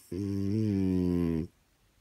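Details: A French Bulldog, lying with its owner who is trying to watch TV, gives a low, droning groan that holds steady and lifts slightly midway.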